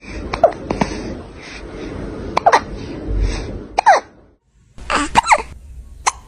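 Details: Kitten with the hiccups: short, sharp, irregular hiccup bursts scattered across several seconds, each a brief broadband click with a faint squeaky tone, separated by pauses and one near-silent gap.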